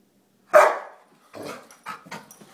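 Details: Jack, a Rottweiler and German Shepherd mix dog, gives one loud sharp bark followed by softer shorter barks or vocal sounds, indoors.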